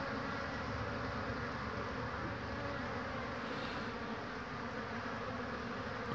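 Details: Busy honey bee traffic carrying pollen, 22 March 2019; a sustained whirring hum of many wingbeats, steady and slightly lighter in tone, ending with a brief louder knock.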